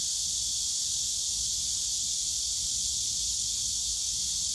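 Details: Cicadas in the bamboo forest of Yongsan Family Park on a summer day, a continuous shrill, hissing buzz held without pause and dense enough to form an unbroken wall of sound, with only faint low rumble beneath.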